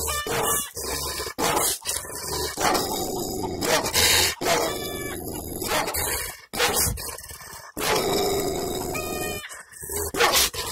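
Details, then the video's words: Village Kangal dog barking angrily, captured with a selfie-stick camera mic: rough, noisy barks in bursts separated by short breaks, some coming as clustered volleys. "Kangal köpeği havlaması"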